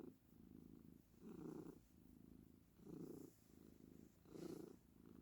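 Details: Close, continuous cat purring, swelling into three louder rumbling pulses spaced about one and a half seconds apart, quiet background.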